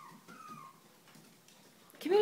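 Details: Indoor dog whimper from a household where Rox is with her pups: a thin, high whine glides gently downward during the first second, followed by faint soft patter and a person's voice breaking in at the end.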